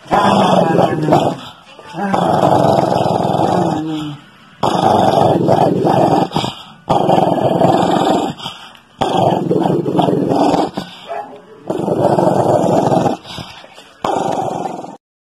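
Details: Female Shih Tzu giving a series of rough, throaty growls in bursts of one to two seconds with short gaps, about seven bouts in all, with a person's voice heard faintly between them.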